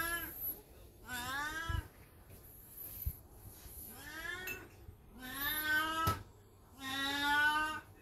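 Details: Beni-chan, an old black cat still coming into heat regularly, yowls at home with a Golden Retriever looking on; four rising, wavering meows of about a second each, separated by quiet gaps and a few knocks.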